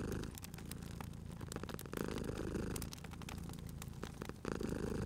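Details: Purring cat by a crackling fire: continuous low throaty rumble that shifts at each breath, nearly two seconds apart, while bright wood crackles snap over it.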